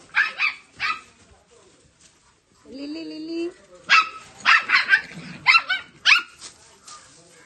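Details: Dogo Argentino pup kept together with a Maltese indoors; a pair of sharp barks opens, a brief voiced tone follows near the middle, then a quick run of high, yappy barks roughly one per second, with faint speech.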